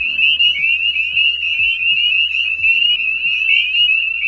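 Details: Spring peepers (Pseudacris crucifer) in a calling chorus, giving high, piercing peeps that overlap into a steady, shrill chorus.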